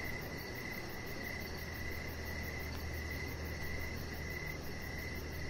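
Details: Chirping crickets on an evening outside by a deck: bright pulsed chirps run on without pause, slightly softer midway, with a droning low background and faint high insect trill.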